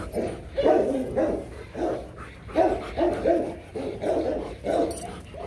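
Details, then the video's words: Mating pair of Rottweilers named Loki and Siro; loud, steady series of low harmonic whimpering yelps, roughly two a second, each short and slightly strained, with little else audible. "Loki &Siro mating"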